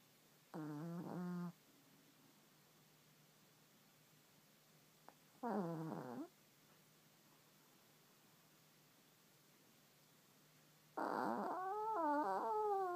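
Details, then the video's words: Female Chihuahua named GiGi, sound asleep during a Sunday afternoon nap, snoring: three wheezy, harmonic-rich snore bursts, two short ones of about a second near the start and middle, then a longer, wavering one at the end, quiet room between. "Chihuahua Snoring - GiGi's Sunday Snooze"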